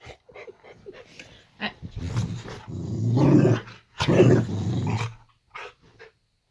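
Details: At bedtime in her owners' bedroom, Layla the Boxer dog starts with soft scattered sounds and then gives two long, low, rough growls of about a second each, ending in quiet snuffles.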